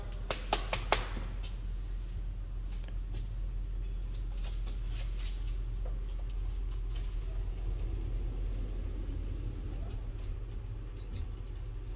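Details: Steady low traffic rumble with passing vehicles and a few sharp clicks near the start; no animal voice is heard.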